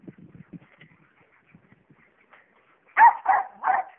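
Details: Jack Russell Terriers during a tetherball game: low quiet grumbles and soft whines, then three loud barks in a rapid burst at the end.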